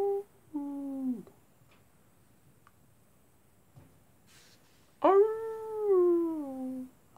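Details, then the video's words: Wolves howling at night, a short falling howl, a long quiet gap with faint knocks, then a loud howl that rises sharply and slowly slides downward. "wolves at night time"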